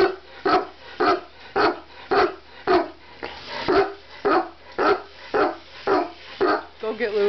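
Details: Chihuahua barking while chasing cars, sharp yappy barks repeated steadily about every half second for the whole stretch.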